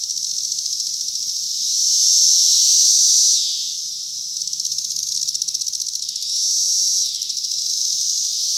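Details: Chorus of cicadas on a cherry tree, 2021: a shrill, rapidly throbbing buzz that pulses about four times a second, rising into smooth loud swells and dipping back to pulsing.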